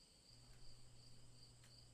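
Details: Repetitive cricket chirping: a shrill, unbroken high trill with regular brighter pulses roughly every half second, a faint low hum underneath and a couple of brief soft clicks.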